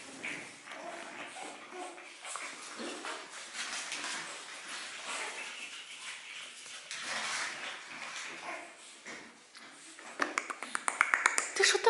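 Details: Seven-week-old pug puppies indoors: a run of thin, wavering whimpers and squeaky whines, some slurred and rising, then a burst of short, sharp, rapidly repeated yips in the closing seconds.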